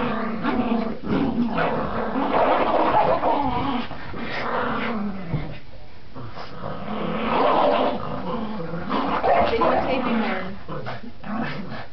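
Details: Border Terriers Gracie and Marvin at tug play; rough, pulsing growls rise and fall across the clip, with a quiet lull near six seconds and possible human voice mixed in.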